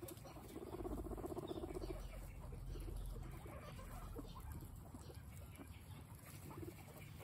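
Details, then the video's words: Guinea pigs munching a snack peacefully: a dense run of quick crunching bites early on, then softer scattered nibbling and rustle. "Guinea pigs having peaceful snack time"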